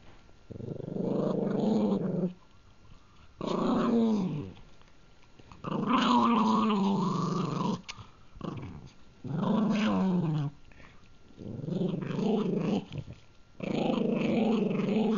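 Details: Pet Pug Gurgi growls repeatedly while eating a treat: six long, low, rumbling bursts of one to two seconds each, some warbling and rising in pitch, with short quiet gaps between them.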